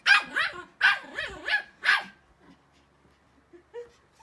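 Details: Playful Pomeranians barking as they run, jump and chase one another; five high, yappy barks in a rapid burst over two seconds, followed by quiet with a faint squeak near the end.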